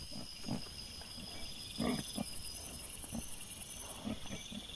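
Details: Several short, low, gruff grunts from wild boar caught on a trail camera on 17 September 2024, spaced irregularly over a few seconds, with a constant high-pitched insect drone running throughout.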